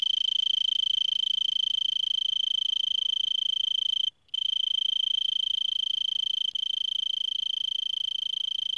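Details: Singing Arizona tree cricket in brittlebush, Vail, Arizona, 3300 ft, late afternoon December 26 at about 70 °F: sustained high, even pulsed trill, briefly cut off midway, then resuming at the same pitch.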